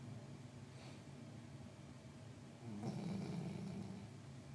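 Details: Female pet dog snoring so loudly it woke a napping person; steady low rumbling breaths with a raspy vibrating edge, growing louder for a long snore in the second half, indoors with no other clear sounds.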